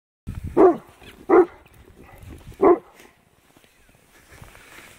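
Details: Alaskan Malamute barking outdoors, terribly afraid of horses it treats as huge dogs; three sharp barks in the first three seconds, then quieter rustling and faint background noise.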